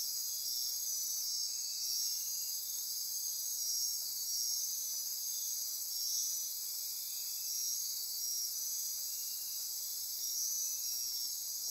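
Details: Night insect chorus from lowland rainforest near Corcovado National Park, Osa Peninsula, Costa Rica; layered shrill trills and ratcheting buzzes hold constant, softly waxing and waning over several seconds.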